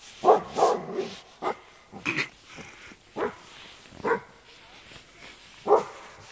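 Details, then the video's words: Frightened Alaskan Malamute reacting to horses, seen as huge dogs, gives a string of short barks at irregular intervals, some doubled, with a human voice faintly mixed in. "Alaskan malamute terribly afraid of 'huge dogs' aka horses"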